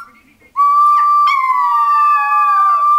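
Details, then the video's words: Singing Chihuahua howling: one long, clear, tonal note that starts abruptly, holds steady, then slowly falls in pitch over about two and a half seconds. "the Singing Chihuahua"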